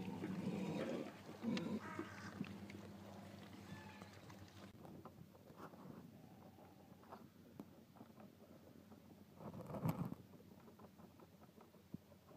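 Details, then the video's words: Golden Guernsey goats at feeding time: a short, nasal bleat opens the recording, then fades into steady rustling and clatter, with a sharp knock near the end. "Golden Guernsey Goats at feeding time"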